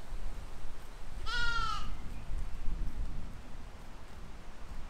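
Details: Sheep or lamb grazing in a field in spring 2020, one short wavering bleat lasting about half a second over low rumbling background noise.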